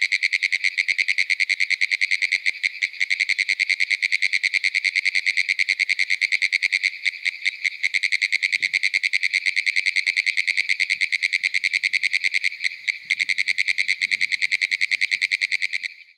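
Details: Pine woods treefrogs (Hyla femoralis) give their advertisement call, rapid rattling clicks running together like fast Morse code, from young pines on a small pond edge in Ocala National Forest, Florida.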